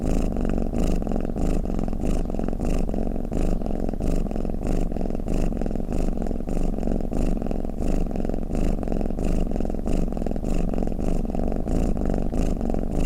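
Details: Low vibrating purr-snore of a pet cat, rhythmic breaths repeating roughly 92 times a minute, a dense steady drone with nothing else audible.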